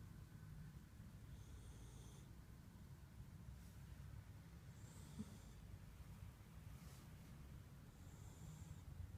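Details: Slumbering husky puppy gives gentle snoring breaths, hissy wheezes returning about every three seconds over deep background rumble.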